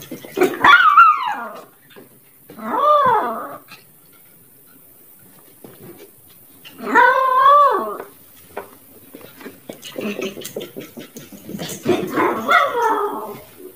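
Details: An angry dog giving drawn-out, wavering vocal calls that rise and fall like growling whines, four or five separate bursts with short quiet gaps between them, indoors.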